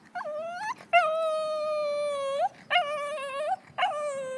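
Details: Lhasa Apso dog on a walk, freaking out at the sight of a squirrel: long, high, tonal whines with rich harmonics, held steady then bending upward at the ends, in four drawn-out bursts with short gaps.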